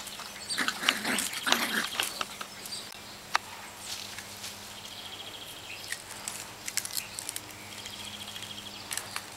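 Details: Nine-week-old Cavalier King Charles Spaniel puppies at play, recorded 14 October 09: a burst of short, high yelps and whiny squeals in the first two seconds, then scuffling, sharp clicks and scattered faint squeaks over a steady background hum.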